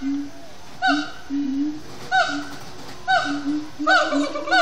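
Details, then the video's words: Sundown song of captive siamang gibbons at Disney's Animal Kingdom: sparse, sharp, falling barks separated by held low hoots, building to a quicker double call at the close. "Siamang gibbons at Sundown"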